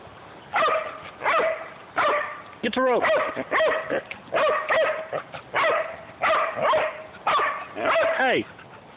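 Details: Household dogs, a Great Dane, a Jack Russell and a golden retriever mix, with their owner. Steady, loud barking repeats roughly every three-quarters of a second, broken by two higher, wavering yelp-like whines.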